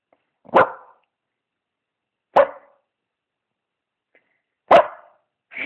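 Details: British bulldog named Maggie O'Brien barking while wanting some attention: three short, gruff barks spaced about two seconds apart in a quiet indoor setting, with the start of a fourth cut off at the end.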